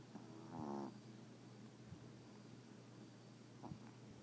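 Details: Sleeping Yorkshire Terrier in bed gives a single brief, rasping harmonic snore near the start, then quiet breathing over a soft constant low hum.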